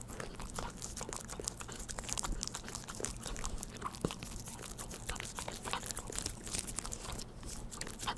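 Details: Pet dog at home eating Churu treats, recorded up close indoors with no talking: dense wet clicking and smacking licks in rapid irregular bursts, steady and continuous throughout, with a faint low room hum underneath.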